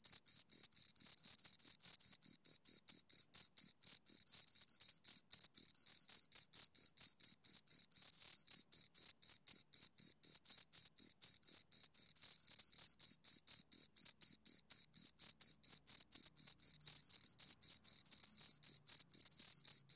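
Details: Continuous close chirping of two crickets, rapid high-pitched pulses running without pause for twenty seconds, steady and rhythmic against silence.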